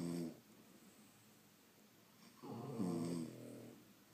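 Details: Sleeping French Bulldogs at home: a short snore, a quiet pause of about two seconds, then a longer rattling, throaty snore with a wavering tone.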